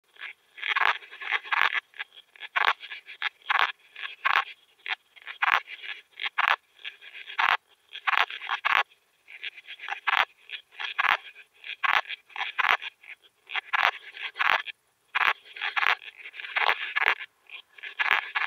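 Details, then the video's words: Veysel's slender bush-cricket singing at Winden am See, Austria, on 13 July 2020, recorded through an ultrasound detector: a long series of short, dry, clicking pulses and buzzy bursts, repeated roughly every half second to second, steady throughout. "Tessellana veyseli -- Kleine Beißschrecke -- Veysel's Slender Bush-cricket"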